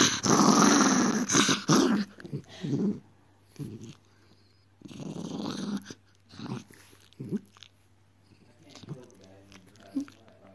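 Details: Miniature Dachshund being naughty indoors, giving rough, low growling bursts in short repeated bouts, loud at first then fading to scattered quieter grumbles, with faint human voice in a small room.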